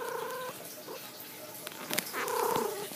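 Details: Two meows from Rosie, a pet cat lying down indoors: a short level call at the start, then a louder one that rises and falls near the end, with a person's voice and handling noises between.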